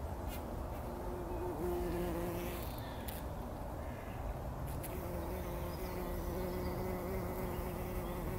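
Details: Bumblebees rolling in poppy flowers early in the morning before sunrise, taking a pollen bath in 2019; a low, steady droning hum that fades out for a moment in the middle and then resumes, over soft outdoor background noise.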